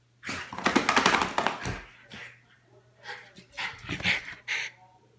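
A miniature schnauzer gives a rapid run of sharp barks, then shorter yaps and whiny vocalizations.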